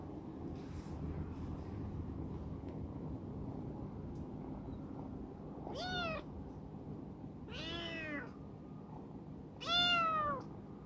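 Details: Rescued former stray black female cat, Chibikuro, once wary and now very affectionate, living in a warehouse: three clear harmonic meows about two seconds apart, each rising then falling, the last loudest, over a low indoor rumble.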